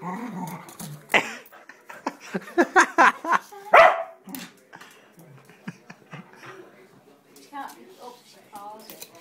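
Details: A small female dog barks in quick, sharp bursts indoors, insisting on being taken for a walk and not letting up.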